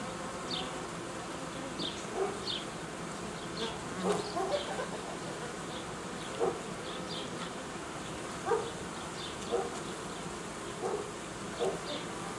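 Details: Honey bees buzzing steadily in an apiary during uniting of colonies and queen replacement, the drone interrupted by irregular soft knocks and clicks, with faint high chirps above.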